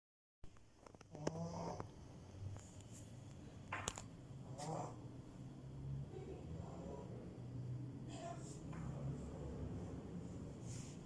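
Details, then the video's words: French bulldog puppy snoring: soft, low rasping breaths repeating roughly every second, with faint nasal rattles over a hissing background and a few brief clicks and rustles. "Cute french bulldog snores!!!"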